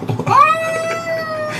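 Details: A domestic cat that dislikes the bathtub gives one drawn-out meow, rising sharply then holding level and fading, with a person's voice just before.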